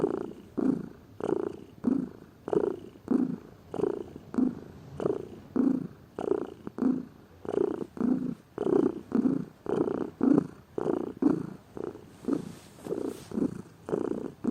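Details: Contented purring from a lazy pet cat, low rhythmic rumbles in regular breath-length pulses around every 0.6 seconds, with a faint rustle near the end.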